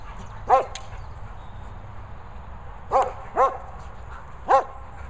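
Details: German Shepherd Lucy playing with a boomer ball; a single bark opens, then after a quiet gap three evenly spaced sharp barks follow about half a second to a second apart.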